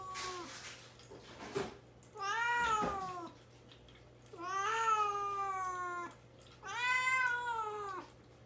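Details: Caged indoors while fasting before neutering, pet cat Mame Daifuku begs to be let out with three plaintive meows, each about a second long, arching up and sliding down, spaced roughly two seconds apart in a quiet room.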